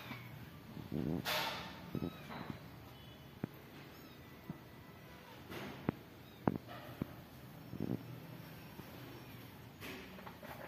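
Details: Mother cat caring for newborn kittens indoors; short harmonic mews rise near the start, followed by a few softer, scattered calls amid rustling and light tapping sounds.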